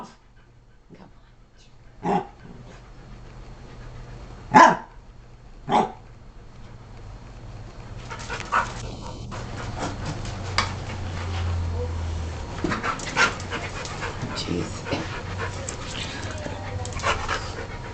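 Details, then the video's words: Pet dog Rosie, female, sneezes when told to: three brief explosive bursts spaced a few seconds apart, followed by a long stretch of rustling, scuffling household noise. "ROSIE SNEEZING"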